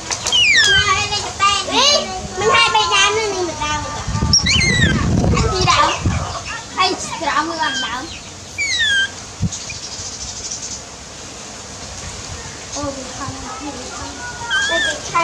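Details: Loud, insistent cries of baby monkey Dewdew calling for its mother, who is busy working: strings of shrill, quavering screams, repeated roughly once a second, then scattered squeals amid a low rumbling thump and background noise.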